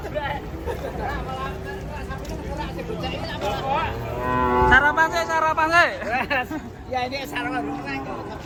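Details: Cattle being unloaded from a truck: steady low harmonic lowing in the first seconds, then wavering, bending tones mixed with excited human voices and background clatter.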